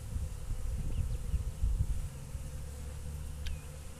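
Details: Honey bees waking up after a long winter: a steady low droning hum with several layered tones, broken by gusty low rumbles, and one brief high chirp near the end.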